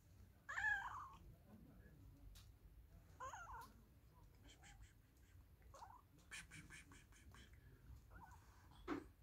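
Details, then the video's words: Domestic cat giving a loud, sharp meow near the start, then softer, shorter mews spaced a few seconds apart, over a low steady hum and scattered clicks. "Funny Cats and Kitten Meowing 2021"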